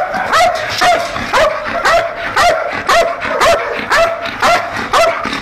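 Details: Guard-trained Belgian Malinois in Nauplion, Greece, protecting an industrial area at night. The dogs give loud, evenly spaced barks, roughly two every second, each a sharp yelp with a slight rising edge.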